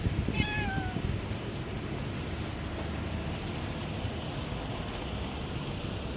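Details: A stray cat outside after rain utters one short, bright meow right at the start, sliding downward, followed by several seconds of only muffled traffic rumble and faint outdoor sounds.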